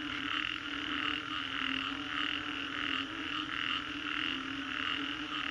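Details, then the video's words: Frog chorus after a storm in Green Corridor, Singapore: dense overlapping croaking pulses in mid and high registers, pulsing roughly twice a second, with a steady low hum beneath. "Frogs after Storm"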